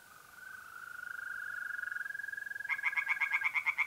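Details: Tree frog at night in mid-April in north-eastern Italy by a pond; a steady high mole cricket trill runs throughout, then rapid loud rasping frog pulses start near the end, about six per second.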